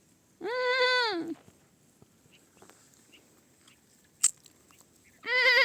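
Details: A young goat kid bleats once in a sustained, quavering note that falls at its end. A soft click comes in the quiet gap, then a second loud, trembling bleat begins just before the end.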